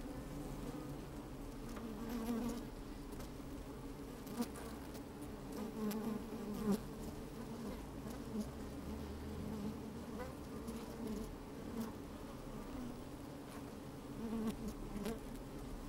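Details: A microphone inside an open beehive on a sunny, breezy day catches honey bees at work: a steady, layered low hum, occasional louder buzzes swelling and fading, and soft crackles of movement.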